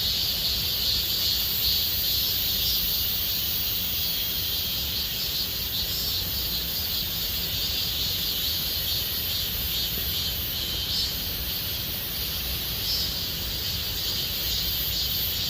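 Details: Cicadas singing in Gomsol Nuri Forest, Sihwa district, in deepening summer: a dense, unbroken high-pitched buzzing chorus with shimmering bands, steady in volume throughout, no other clear sounds.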